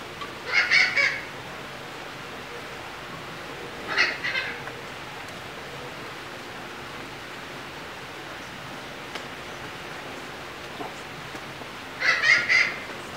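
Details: A young mountain lion at the Arizona-Sonora Desert Museum in Tucson, its new home, gives three brief bursts of high, squeaky, bird-like chirps, spaced several seconds apart against a quiet background.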